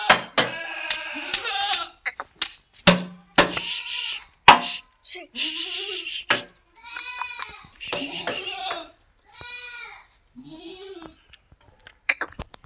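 Several Barbari goats give quavering, nasal bleats, each a brief burst that rises and falls. Sharp knocks and clicks break in between the calls, and a person may be speaking briefly.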